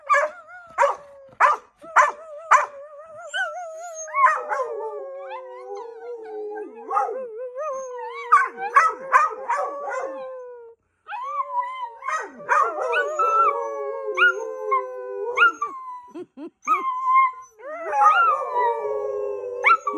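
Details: Several dogs howl together in overlapping drawn-out wavering notes, mixed with frequent short sharp barks and yelps throughout.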